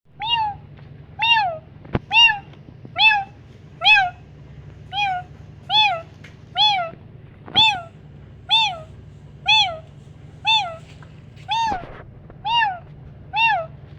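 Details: Kittens reacting to a meowing sound: short high-pitched meows, each rising then dipping, repeated roughly once a second, about fourteen in a row, over a steady low hum.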